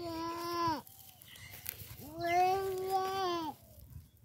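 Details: Baby goat (kid) playing with a human baby: two loud, wavering bleats, a short one followed after a pause by a longer, drawn-out one lasting over a second, with faint rustling between.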